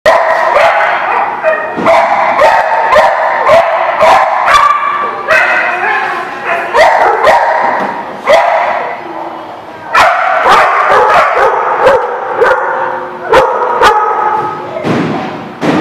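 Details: Dogs barking at a lot, recorded 7 July 2017; dense, overlapping sharp barks from several dogs throughout, with loud clicks or knocks punctuating the din.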